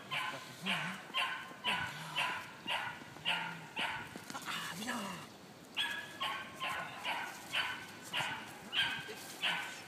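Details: Hannah des 2 Sabres, a 2.5-month-old female Malinois puppy, during early bite training for ring or mondioring. She gives bursts of sharp, high barks, roughly two per second, with pauses between runs while a person talks and gives commands.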